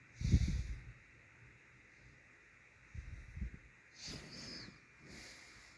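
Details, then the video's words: Sleeping dog Harriet Volmar snoring, deep rumbling snorts coming in uneven bursts, one loud at the start and softer ones about three and four seconds later, each with a hissing exhale. "Harriet Volmar the dog SNORING"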